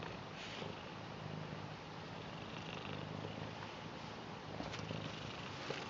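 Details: Blue British Shorthair cat purring as it welcomes and shows love for its grandad, a steady low rumbling purr held throughout with slight rises and falls, some faint higher rustling noise above.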